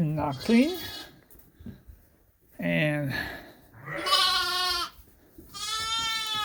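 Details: Suffolk lambs mixed together in a barn at Ewetopia Farms after a gate was left open. Rough, low sounds at first give way to clear, high, steady bleats near the end, with people talking in the barn.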